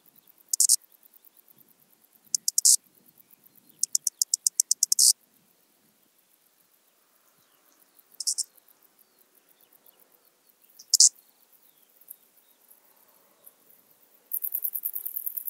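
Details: Eastern banded grasshopper from Zalahalap, Hungary, 18 July 2022: a series of high rasping chirps, some in rapid trains of short ticks, separated by pauses, ending in a sustained buzzing stretch of fast pulses.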